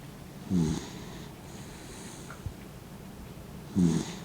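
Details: Old dog named Mint, fifteen years old and blind, asleep with eyes half open, gives two short, rough, buzzy snores about three seconds apart, with quiet room stillness between them.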